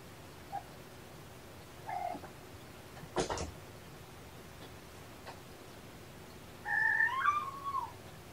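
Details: Rescued kitten sisters Champagne and Mimosa, found by a roadside and brought to Purrfect Pals, playing with springs indoors; a short soft meow, then a longer wavering meow that rises and falls, with a clatter of toys between.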